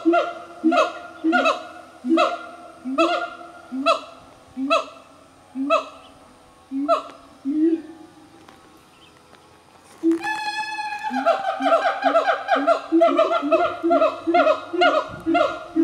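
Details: Siamangs from a family of five in forest near coffee farms in the Highlands of North Sumatra, Indonesia, singing: rhythmic booming whoops repeated about every second, a brief pause, then a faster excited chorus of barks and rising shrieks.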